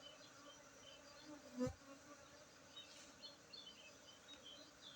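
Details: Honey bees humming steadily at a Bener Meriah, Aceh apiary in Tingkem village while honey is harvested, Saturday 19 August 2023; one loud thump midway, faint high chirping behind the constant buzz.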